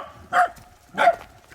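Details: Two short barks from a Welsh Corgi, one of eight dogs out on an autumn mountain hike, spaced about half a second apart, each bright and mid-pitched with a quick rise and fall; quiet background.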